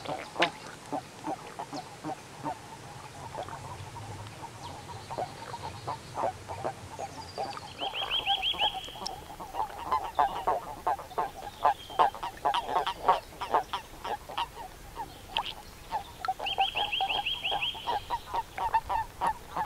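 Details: Common toads at a countryside pond in Limousin, France, on 11 March 2013, calling during mating: rapid, irregular run of short, clipped mid-pitched notes, about three per second, with brief high bird whistles in the background.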